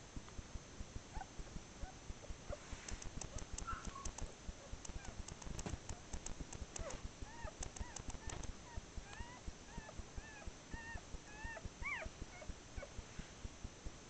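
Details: Newborn Whippet puppies, a first litter six hours old with their blue mother, November 2013: a run of short, high, rising squeaks clustered in the second half, over steady soft ticking and rustling.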